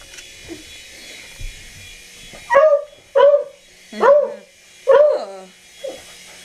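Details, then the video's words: Pet dog barking at a helicopter: after a quiet start, four loud, sharp barks follow about a second apart, then a softer short bark, over a steady high background hiss. "Dog Barks 4 Helicopter"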